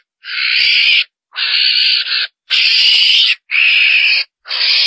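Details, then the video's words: A civet hunting lure call, said to draw a whole group of civets, with harsh, rasping screeches about once a second, each under a second long, with short silent gaps between. "TIẾNG CHỒN ĐÈN MỒI, KÊU LÀ CẢ ĐÀN TỚI"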